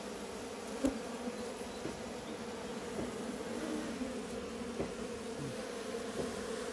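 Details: Local honey bees living in a hive within a farm house goat shed give an even, unbroken droning buzz, with one sharp tap near the start and occasional soft clicks.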